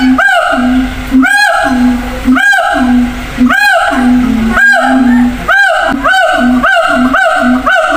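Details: A siamang at a zoo gives loud, ringing whoops about once a second, each swelling and arching over a steady hum, calling to other gibbons housed in separate cages a long distance away.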